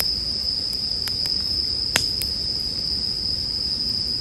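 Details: Continuous high, shimmering bell cricket chorus heard with a campfire, punctuated by several sharp wood crackles and one loud pop near the two-second mark.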